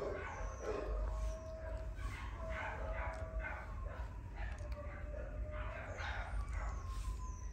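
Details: A Cavapoo giving high yips and whining barks, with thin tonal whimpers drawn out between bursts, against a constant low background rumble.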